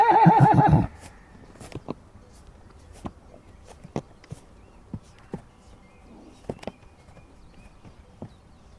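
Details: Relaxed horses licking a salt block in the mountains, with donkeys nearby, recorded about 20 metres away: a short wavering whinny opens, followed by soft scattered knocks and clicks at irregular intervals.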